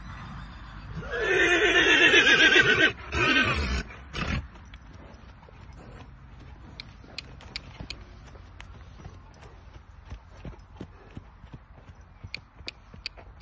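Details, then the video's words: Friesian horses running and playing: a loud harsh whinny about two seconds long with a wavering quality, a few snorts, then a steady patter of hoof clicks over the ground. "friesian horses running"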